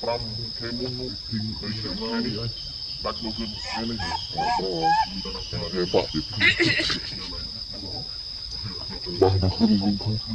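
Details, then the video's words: Baby monkey Lucie calling for her mother Luna: wavering, tonal squeals and harmonic cries in short bursts, some rising and falling, over a steady high insect drone with other low voices in the background. "Baby monkey Lucie calling mom Luna"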